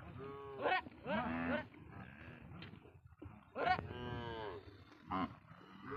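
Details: Cattle said to have been smuggled across the Indian border, kept on a Padma river char; three or four drawn-out harmonic moos about a second each, with a low rumbling background between calls.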